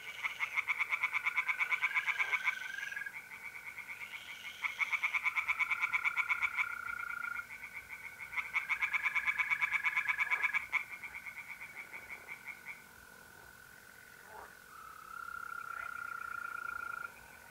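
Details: Tree frogs calling in a pond at night, mid April, north-east Italy; repeated bouts of quick, regular croaks start and stop every few seconds while mole crickets keep up a steady high trill underneath.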